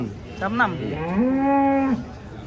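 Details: Very large cattle being unloaded from a truck. A short wavering grunt is followed by a long, steady, drawn-out moo of about a second that ends abruptly, with faint background murmur.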